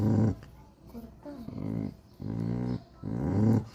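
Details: Angry, jealous pet dog growling when another dog is praised: three low rumbling growls, each about half a second long, separated by short pauses, with a woman speaking Telugu nearby.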